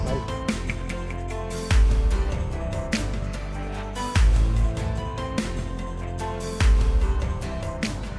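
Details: Only music is heard, with deep bass beats repeating every two and a half seconds. No animal calls come through.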